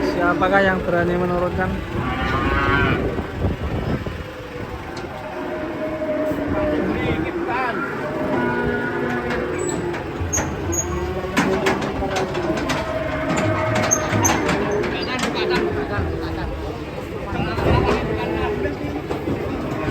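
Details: Cattle unloaded from a truck in Indonesia bellow again and again, overlapping drawn-out moos wavering in pitch, with metallic clanks, clattering hooves and people's voices throughout.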